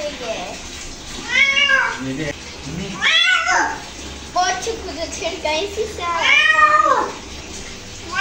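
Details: Domestic cat reacting to being bathed, giving loud drawn-out arched meows around 1.5, 3 and 6.5 seconds, with speech and faint water sounds indoors in a small room.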